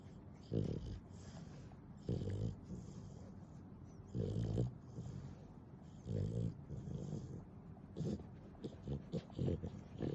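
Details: Pet dog Nana, an affectionate and clingy animal, snores in a recording sped up tenfold; low rasping bursts come about every two seconds, separated by a steady quiet room background.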